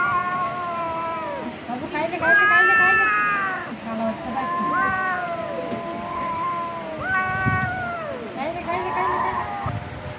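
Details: A kitten feeding on raw chicken calls repeatedly, with clear, harmonic meows, some rising then sliding down, about five in a row, over quiet background noise.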